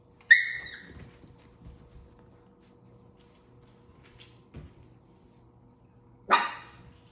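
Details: Havanese puppies, seven weeks old, playing: a high squealing yip opens, then quiet stretches with faint bumps before a single sharp bark near the end, over a low steady hum.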